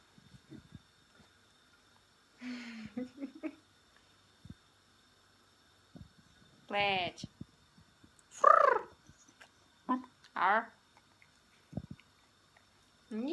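A Pembroke Welsh Corgi gives short bursts of whining, grumbling yelps that rise and fall in pitch.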